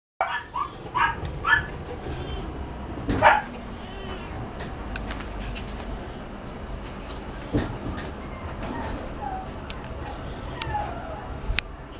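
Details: A pug gives a few short, high, whiny yelps spaced irregularly over steady background noise.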